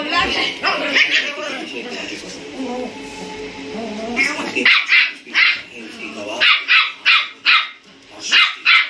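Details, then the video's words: Two German Spitz puppies, 57 days old and also called Indian Spitz, in aggressive play-fighting. The first half is blurred by a voice-like tonal background. After that come sharp, high yapping barks, spaced about half a second apart. "German spitz dog puppy fight scene angry mood on"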